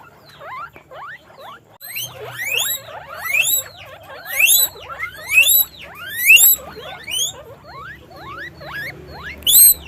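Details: Caged pet guinea pig squealing: a steady run of shrill upward-sweeping squeaks, about one per second, with a soft low hum in the background.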